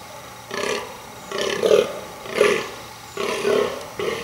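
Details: Rutting fallow buck burling to attract females, giving five loud, rasping belch-like groans at irregular intervals of just under a second, each a throaty roar with gravelly texture.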